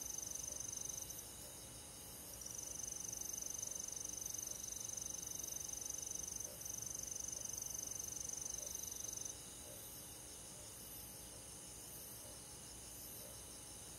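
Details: Crickets and other insects on a summer night in a forest, a dense steady high-pitched chorus of rapid trilling pulses, about four per second, with the loudness stepping down and up partway through.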